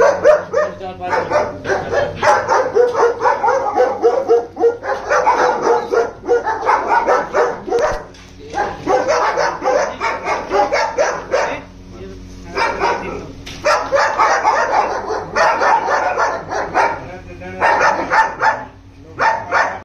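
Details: Many German Shepherds barking together in dense, overlapping bursts of loud, rough barks, repeated rapidly and almost without pause, with brief lulls near the eighth and thirteenth seconds before the chorus resumes.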